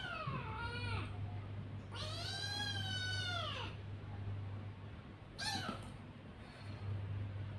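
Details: Kitten cries, long and insistent, one stretched wail lasting nearly two seconds between shorter falling mews, loud and harsh against a steady low hum.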